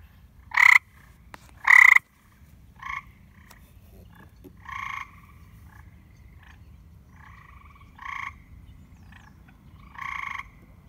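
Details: Many white and green frogs occupying a neglected backyard pool, calling loudly around dusk: sharp, nasal croaks in short bursts, two very loud ones close by, then softer ones every two to three seconds, over a low steady hum.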